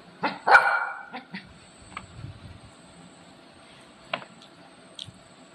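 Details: Pet Golden Retriever at home pestering its owner and not letting her eat. One loud, strained harmonic bark is followed by a few softer short yips, and a woman speaks Marathi nearby.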